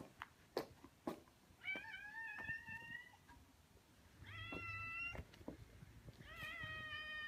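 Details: Welcoming meows from stray orange tabby cats meeting a person in their territory in a residential neighbourhood: three clear, evenly spaced, drawn-out calls, each about a second long, after a few soft thumps.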